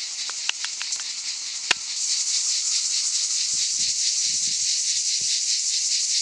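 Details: Cicadas singing in summer in the Aude, France: scattered sharp clicks first, then from about two seconds a dense, high, hissing buzz swells and holds steady with a faint rapid pulsing.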